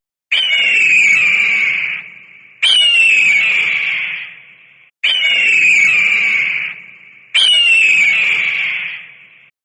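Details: Chimpanzee screaming: four long, shrill, piercing cries, each starting sharply and fading over about two seconds, spaced evenly with short gaps between them.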